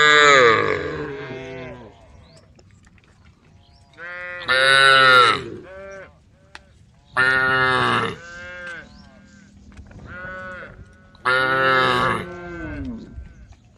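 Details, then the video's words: Cattle in a herd on the road calling: a sequence of separate bright, nasal harmonic calls, roughly every two to three seconds, with quiet gaps and a faint low hum between them. "herd of cows on the road the sound of cows calling the herd"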